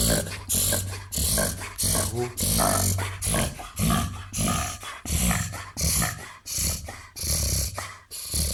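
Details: Twenty-one-month-old crossbred Labrador, golden retriever and Weimaraner pointer, weighing 30 kg, caught mid reverse sneeze: a rapid run of harsh, rasping inhaled snorts, roughly one and a half per second, loud and continuous.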